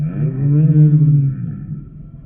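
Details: Humpback whale song unit: one sustained low, resonant moan that arches gently upward and then slowly sinks and fades away.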